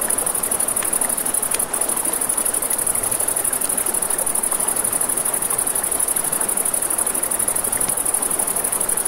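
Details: A constant thin, high cricket trill fills the night air by a river, layered over snapping, crackling firewood and the gentle background flow of the stream.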